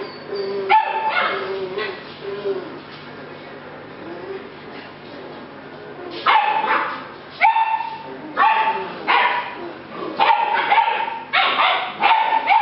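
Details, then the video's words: Rescue puppies of the Z litter, July 8 2016, yipping and barking in bursts, high squeaky barks clustered after six seconds and repeating roughly every second, with an earlier whine and bark and a human voice now and then. "Rescue pups - Z litter"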